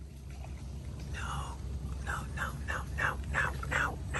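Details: Otters being fed in the mangroves give a run of short, falling chirps, about three each second, growing louder toward the end over a steady low hum.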